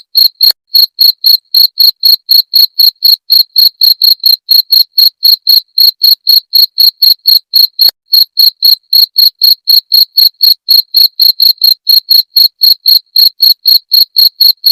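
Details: Steady metronome-like chirping of a cricket, described as a sound to scare off rats: shrill pulses about four per second running continuously, in a quiet setting.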